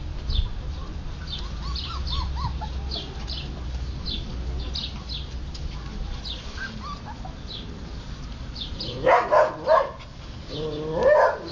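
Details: Siberian Husky puppies at play and feeding: a quiet stretch of faint squeaks and background rumble gives way to a quick cluster of sharp, bright yips, then one more strained, harmonic whine near the close.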